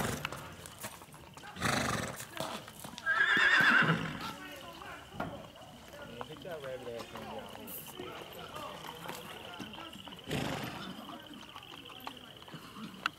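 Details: Ridden black Tennessee Walker gelding at Big Money Stables, Texas, letting out a brief, wavering whinny near the third second, flanked by bursts of noise, light hoofbeats and scattered human speech.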